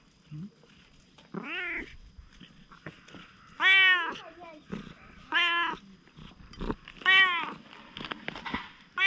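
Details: Wary stray cat turning friendly gives five separate meows with short gaps, the middle ones loudest and sharpest, against faint rustling and soft background noise.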